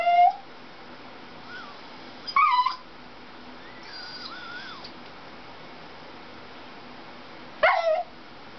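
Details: Pet Dachshund indoors, upset while watching a car chase commercial on television: three short, high yelping whimpers, each sliding downward, at the start, near two and a half seconds and near eight seconds, with faint television sounds between them.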